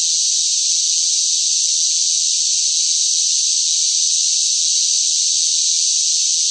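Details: Loud cicadas singing in hot summer heat: a steady, unbroken high-pitched shrill drone that holds the same level throughout, with no pauses, lower sounds or other voices.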